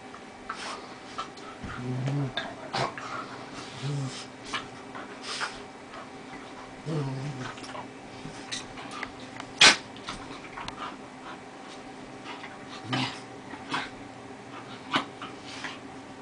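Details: Two dogs at play, including Molly, an 11-year-old Lhasa Apso, in their first genuine play together; low short growl bursts at scattered moments amid clicks and scuffling thumps, with one sharp knock near the middle.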